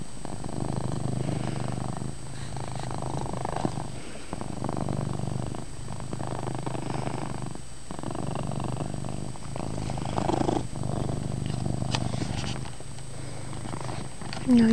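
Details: Chase the house cat purring loudly in a dimly lit bedroom, a low vibrating drone that pulses in cycles about every two seconds as he breathes in and out, with a louder rustle at the very end.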